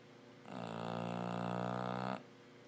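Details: A female bulldog fast asleep gives one long, steady, buzzy snore of nearly two seconds, deep and droning with strong overtones, against a quiet room.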